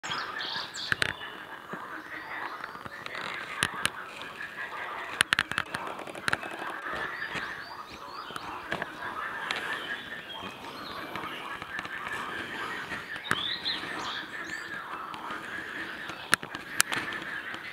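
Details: Early on a spring morning, 23 April 2017, at Göygöl lake, a dense chorus of mating frogs croaks and chatters together.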